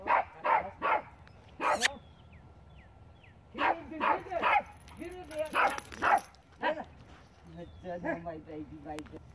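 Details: A Siberian Husky playing outdoors with two neighbour's dogs gives short, bouncy yips and wavering barks in quick bursts, with a person talking.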